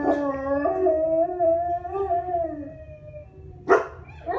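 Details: Howling from pet dogs, a drawn-out tone that swells and wavers gently before fading, followed by a sharp noisy burst and a short rising yelp at the close.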